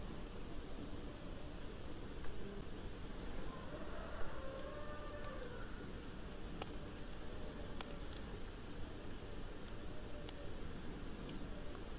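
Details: A dull, low-pitched rumble fills the recording throughout, with scattered faint clicks and a brief soft tonal murmur near the middle. No distinct animal call stands out from the noise.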